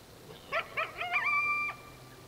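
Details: Coyote at dark giving three or four rapid, wavering yips that run together into a brief, even-pitched howl, then stop abruptly against a faint background hiss.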